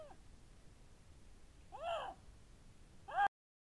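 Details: Lynx giving two drawn-out, meow-like calls: an arched, harmonic-rich wail near the middle, then a louder, rising call abruptly cut off near the end, over a faint background hiss.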